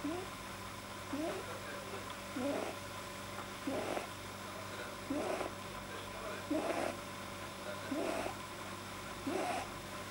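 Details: Domestic male rabbit, deeply relaxed, making unusual sounds that a vet linked to a probably too-long soft palate, recorded 9 January 2010 indoors: short rising squeaky snorts repeated about every 1.3 seconds, eight in a row, over a steady low hum.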